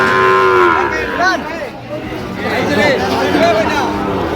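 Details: A Sahiwal bull calf lows, bought by a Dhaka farmer, dated 22/9/25. The long, steady moo opens the recording, and brief later moos follow amid background talking and crowd noise.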